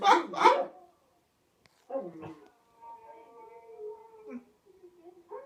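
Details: A white German Shepherd, watching another dog howl on TV, gives a few harsh yelps, then a long, wavering, mid-pitched howl.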